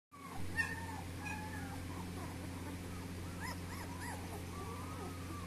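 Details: Puppies wanting to go outside, whining with thin, faint arching cries, a few short upward-and-down whimpers in a cluster near the middle, then a long level whine, over constant low indoor hum.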